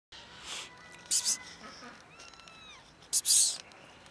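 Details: Blackish cat eating calmly in a park gives a short meow-like call, a wavering tone that rises then falls. Sharp hissing bursts, a person's soft sounds and faint clicks come before and after it.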